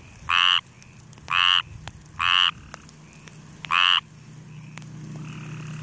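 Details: Four loud, buzzy croaks from a frog in grass, each short and harsh, spaced roughly a second apart, followed by a low hum rising in the background.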